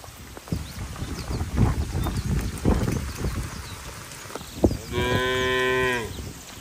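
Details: Cattle moving slowly along a wet road to the barn in the rainy season; shuffling, splashing hoof noise and a thump, then a clear sustained moo of about a second with strong harmonics.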